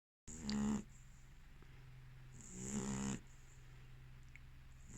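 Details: Female American Staffordshire terrier asleep, snoring twice in slow breaths, each a rasping, buzzy intake with a hissy edge, the second longer and swelling; a steady low hum runs underneath.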